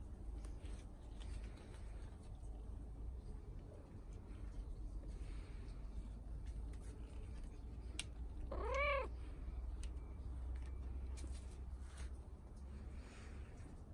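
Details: British Shorthair cat in an outdoor summer cat house, where the cats go every morning: a single clear meow rising then falling, heard once midway, over a low steady hum and faint background noise.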